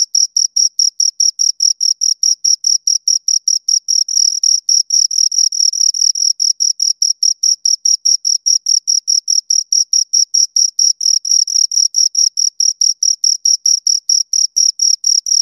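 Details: Two crickets chirp continuously for over fifteen seconds, an unbroken chain of short, shrill pulses at a brisk, even tempo, bright and high with a thin upper harmonic.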